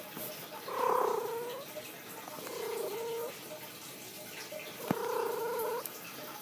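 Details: Rosie, a pet cat lying down indoors, gives three drawn-out meows spaced about two seconds apart, each a steady mid-pitched tone with a bent ending, while a person speaks softly between calls.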